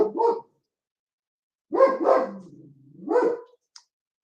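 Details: German Shepherd kept as a house guard dog, barking when someone walks past the house too slowly: three deep, harsh barks, the second trailing into a low rumbling growl, with a faint short sound at the end.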